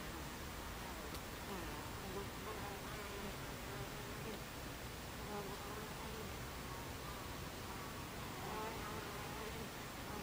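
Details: Swarm-like steady drone of Buckfast bees at their hive entrance on a July 2013 afternoon, 14:30; overlapping wing hums rise and fall in pitch as bees fly in and out, over a constant hiss of buzzing.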